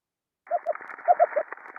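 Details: An Ambon damselfish, recorded by hydrophone on a coral reef, gives a quick run of soft, high-pitched, hooting pulses, rather dove-like in tone.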